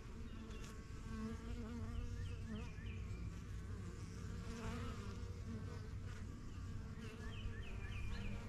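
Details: Busy backyard hive of honey bees, the yellow box begun in spring 2023, bees flying in and out: a constant deep hum of wings with passing buzzes, while a small bird repeats quick high chirps in the background.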